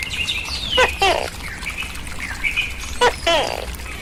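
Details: Tokay gecko, kept and fed on crickets, calls twice in two-syllable bursts, each a crisp onset sliding into a ringing harmonic croak, over steady whistled birdsong and low background hum.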